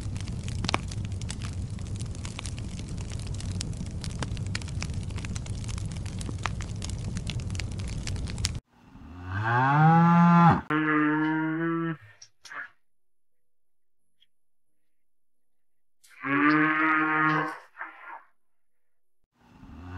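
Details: Cow mooing after eight seconds of rough, noisy background: a long, loud, tonal moo rising slightly in pitch and lasting about three seconds, then a second shorter moo after a silent gap.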